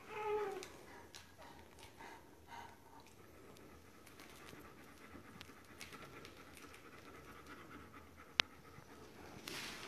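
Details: Dobermann giving birth to the D litter gives a brief whine at the start, then settles into quiet, rapid panting. A sharp click sounds near the eighth second, followed by a rustle at the end.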